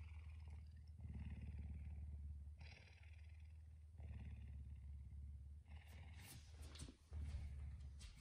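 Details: Puma living in a house, waking its owner early in the morning; a loud throaty purr in long pulsed bouts separated by brief pauses, with a woman talking and bedding rustling near the end.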